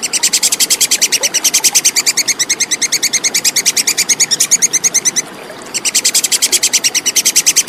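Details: Tupai kekes, the plantain squirrel, calling in a clean, rapid train of shrill clicking chips, roughly three each second, pausing briefly after five seconds before resuming at the same pace.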